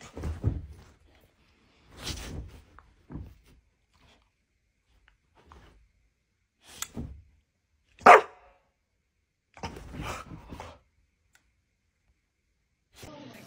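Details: Pet dog giving short, sharp barks in scattered bursts, some spaced a few seconds apart, with one louder bark near the middle and quiet gaps between them, heard indoors.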